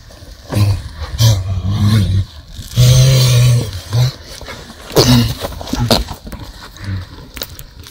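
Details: Horse grunting while rolling, bucking and rearing: a series of short, deep, throaty grunts in bursts about a second apart, some held longer, with thuds and rustling between them.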